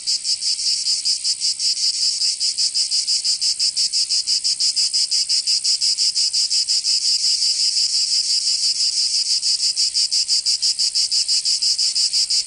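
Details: Cicadas in Provence, southern France, singing on a summer day: an intense high rasping drone beaten into fast, even pulses roughly three each second, sustained across the whole stretch.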